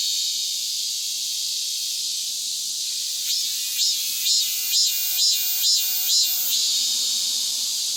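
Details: Vigorous cicada song following the rainy season: a steady, bright, buzzy hiss, then about seven loud, regular throbbing pulses in quick succession before the drone settles again.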